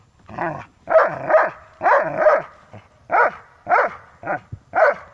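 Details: Dobermanns in a tug-of-war game give rapid paired barks, about one per second, each a short harmonic yelp with a growling edge, loud and close.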